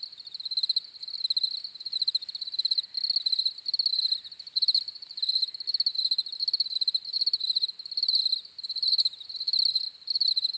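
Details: Chorus of crickets giving high, trilled chirps in short pulsing bursts, roughly one and a half per second, overlapping continuously against a quiet backdrop.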